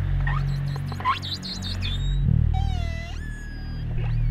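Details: Short-finned pilot whales off the Canary Islands, where hundreds were seen, make bright, harmonic whistles sweeping upward over a steady musical backing with violin.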